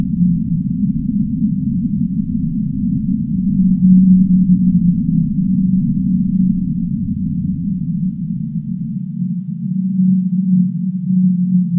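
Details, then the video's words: ['Whale moans hum low over a deep rumble; the held tones brighten midway, and the rumble thins toward the end, leaving the steady moaning clearer.'] "Whale Sound"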